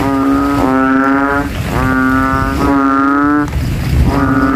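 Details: Rival banded bullfrogs in a rain puddle among graves at night, throats ballooning as they compete in volume; loud deep humming notes overlap and alternate, with a low rumbling background.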